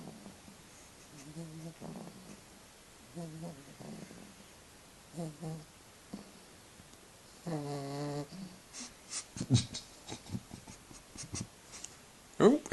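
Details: Sleeping Staffy pup Domino, just brought home, gives buzzy harmonic snores in irregular bursts a couple of seconds apart, one longer drawn-out snore midway, followed by clicks and rustling as he stirs.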